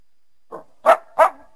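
A coyote gives three short, harsh barks in quick succession, the last two louder and sharper.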